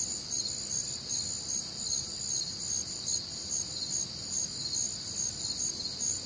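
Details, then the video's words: Crickets and other nocturnal insects on a warm, humid Midwestern summer night: a dense, high, shimmering chorus of rapid pulsed chirps stacked in several bands, steady throughout with gentle swells, no other clear sounds. "Night Time Cricket Sounds"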